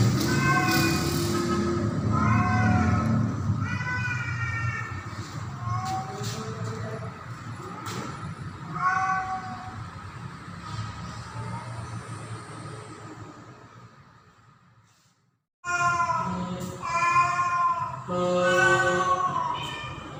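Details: Female domestic cat in heat during mating season, calling for a male: a run of drawn-out, wavering meows with rich overtones, some rising and falling. A low rumbling background persists; sound briefly cuts out midway, then more yowling meows follow.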